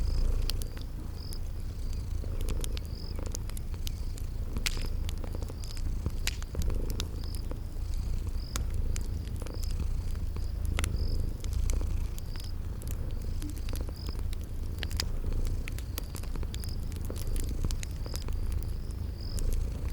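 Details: Sleeping cats keep up a long, even, rumbling purr with slow pulses, while a crackling fire pops throughout and high cricket chirps recur every second or two in a spring garden soundscape.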